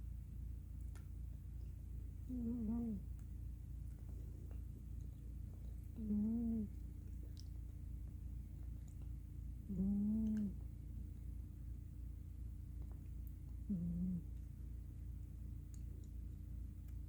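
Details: Quiet snores from Miss Tinker Kitty, a black female cat asleep curled up on a pillow, exhausted after play: four low, buzzy, harmonic breaths at about four-second intervals against a constant low background hum.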